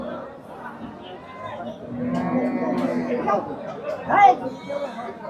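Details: Cow at a market pulling against an old man who struggles to handle it alone, giving a low drawn-out moo amid busy crowd chatter and shouting voices.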